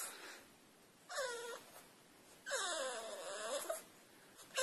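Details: French Bulldog indoors trying to get onto a couch, giving two drawn-out whining moans, each bending up then sliding down in pitch, separated by about a second of quiet room noise.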